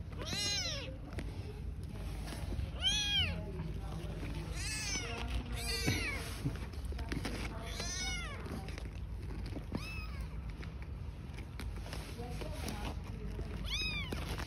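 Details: Newborn kittens and their mother cat living on the street give a series of about seven high, arching meows, spaced unevenly every one to three seconds, over low background rumble.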